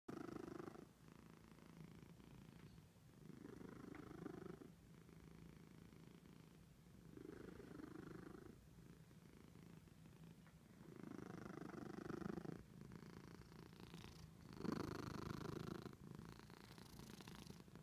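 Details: Domestic cat purring loudly and continuously, a rapid throbbing rumble that swells and fades in breaths about every two seconds, close to the listener indoors.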